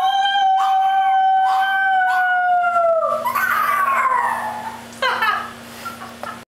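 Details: Chihuahua howling like a coyote: a sustained clear howl held for about three seconds, then sliding downward into wavering, broken yelps and short cries that fade out, with a steady low hum behind.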